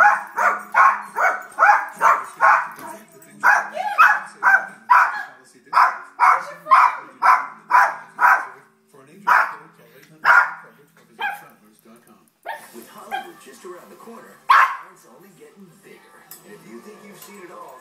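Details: Miniature Yorkshire Terrier named Jack barking furiously at a dog on TV: rapid sharp yaps in a fast run for about nine seconds, then sparser barks with pauses and a few growly sounds, faint TV sound underneath.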